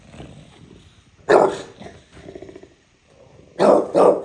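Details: A bulldog in New York City gives a loud, harsh bark, then a quick double bark after a pause.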